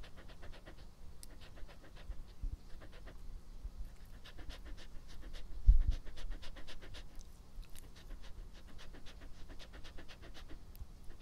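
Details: Pet dog named Epo in a close ASMR recording, breathing heard as soft, rapid pants with faint clicking mouth noises, a brief louder puff near the middle, quiet indoor background.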